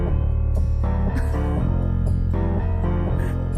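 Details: Loud piano-led background music with changing chords throughout; no animal voice.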